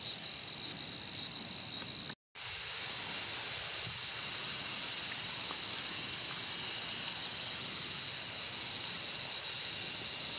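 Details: Cicada in Showa Kinen Park, Tokyo, 2020, where a mantis was caught preying on one; a steady, high, hissing drone runs throughout, broken by one short silent gap near the start.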